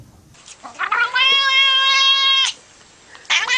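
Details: Domestic cat giving a long drawn-out meow, a steady harmonic tone held for over a second that rises in then cuts off, followed by a second shorter meow; indoors.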